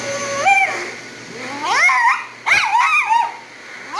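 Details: Havanese female in a grooming shop, voicing her complaint when the dryer is on her: a held whine that steps up in pitch, then several sliding, yodel-like cries rising and falling over constant dryer noise.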